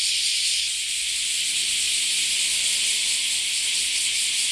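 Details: Cicada chorus from many insects at once: a steady, piercing wall of high buzzing, with a faint low humming tone running beneath it partway through.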